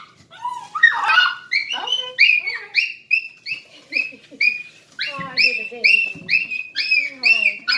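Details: Male Miniature Schnauzer, emotional and happy on greeting a person back after two hours; rapid run of high, squeaky, whining cries, about two per second, each with a bent, wavering pitch.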